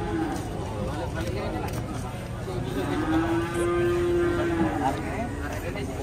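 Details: An injured cow whose leg broke after slipping lets out a drawn-out, steady moo of about two seconds amid a crowd of onlookers chattering in the background.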